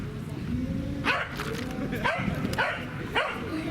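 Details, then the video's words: Pembroke Welsh Corgi at a carp pond on 29 April 2019, eager to play with the carp: short excited barks repeated about every half second over low background rumble. "Roku want to play with carp / コイめがけてドボンするロクさん"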